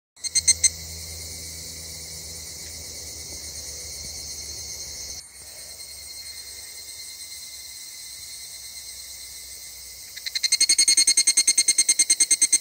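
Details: A chorus of several species of Japanese cicadas in a summer forest sings in a dense, shrill, steady buzz; near the end a louder caller breaks in with a fast, pulsing, rhythmic rattle over the drone.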